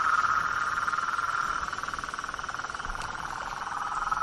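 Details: Blacksmith tree frog chorus from a nighttime swamp: rapid, regular pulsed notes, about four per second, forming a dense, even, mid-pitched throb throughout.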